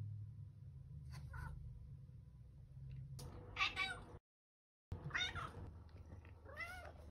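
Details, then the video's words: House cat meowing in short, strained bursts, a few drawn-out downward-bending cries among soft rustling and low background noise, with a sudden cut to silence partway through. "A compilation of Trouble Cat's meows from 2020"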